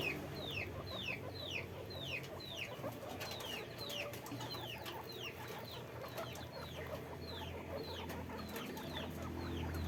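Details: Guinea pigs at a guinea pig farm, kept in a cage, give high, thin downward-sliding squeaks, about two per second in overlapping runs, over a steady low hum and rustling background noise.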